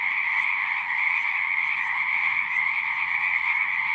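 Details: Frogs singing at a pond in a horse pasture, recorded with a Zoom 6: a dense, unbroken chorus of many overlapping trilling voices forming a steady, shrill wall of sound with a lower and a higher pitch layer, no other sounds.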